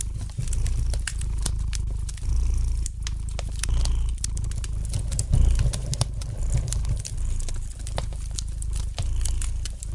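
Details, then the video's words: Domestic cat's gentle purr beside a crackling fireplace; continuous deep rumble with soft rises and falls, overlaid by dense, frequent snaps and crackles from the fire. "Relax to the gentle purring of the cat and the light crackling of the fire in the fireplace!"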